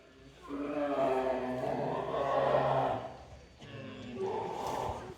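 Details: Captive bear cub at Showa-Shinzan Bear Ranch gives a long, moaning, harmonic cry lasting about two and a half seconds. A shorter, rising cry follows after a brief pause.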